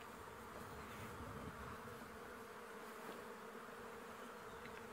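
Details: Flies swarm around a buffalo carcass killed by a male lion, with lionesses and cubs arriving at sunrise on June 10, 2017, Djuma Game Reserve: a quiet, steady, continuous buzzing hum with no clear breaks.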